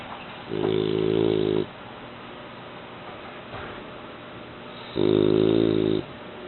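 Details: Mu, a young male French Bulldog of eight months, snoring in his sleep indoors: two loud, buzzy, droning snores, each about a second long, roughly four seconds apart, with quiet breathing hiss between.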